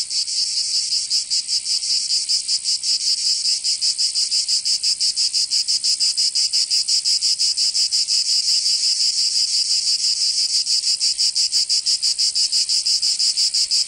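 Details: Cicadas in Provence, southern France, in summer keep up an unbroken, intense, sizzling buzz over a long stretch. Fast, tightly packed pulses run throughout, and the chorus stays loud and uniform.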